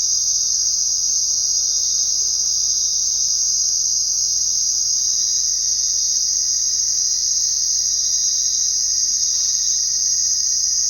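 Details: Crickets sounding at night in an even, high-pitched, unbroken trill, joined by a faint steady lower tone in the second half.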